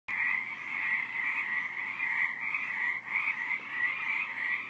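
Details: Frogs calling at night, a dense chorus of overlapping high trilled croaks running without a break, with pulses roughly every half second and a quiet steady hum underneath.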